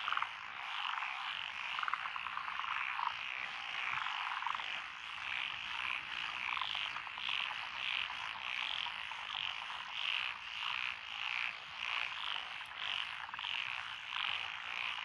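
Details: Night-long paddy chorus in Echizen, Fukui, Japan, 12 June 2021, from tree, pond and wrinkled frogs among lotus rice fields; pulsing rasping croaks rise and fall in rapid bursts over a continuous trilling background.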